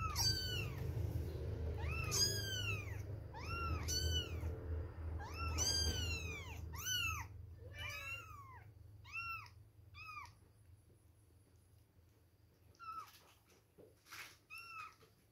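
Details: Baby kittens, two weeks old, mewing at milk time: a rapid run of bright, arching cries, several callers at once over a low rumble that fades, then sparser, quieter mews near the end.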